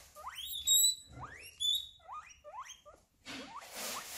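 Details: Guinea pig giving repeated high rising squeals, each sweeping upward into a piercing whistle-like tone, several in quick succession, said to signal pain, need for attention, or a rival at its eating spot; rustling noise at the end.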